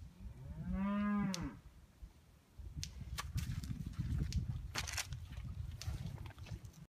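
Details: Bull turned out at breeding time: a single strong moo lasting about a second, steady and slightly arched, followed by wind rumble and scattered clicks and knocks.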